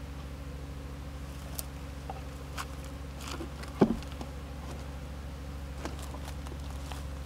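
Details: Steady low drone of Japanese honey bees around a stacked-box hive during the addition of an extra box on 27 March 2015, the hum continuous throughout, broken by a brief thump near the middle and light tapping.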